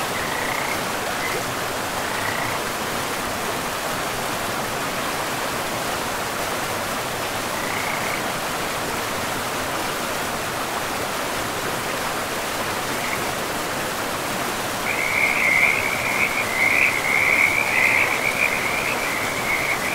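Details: Frogs by a river in a pristine forest, calling in short trilled bursts near the start and then in a louder, continuous rattling chorus over the last five seconds, set against a steady rush of flowing water.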